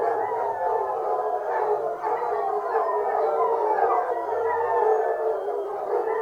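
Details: During a fox hunt, a large pack of hounds bays continuously, their long tremulous howls overlapping and rising and falling, with a faint low steady tone underneath at moments.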